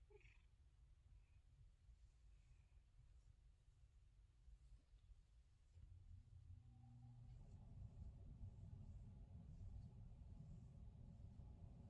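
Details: Male pet cat purring during his daily morning massage; near-silent for the first six seconds, then a low, steady rumbling purr swells in and holds to the end.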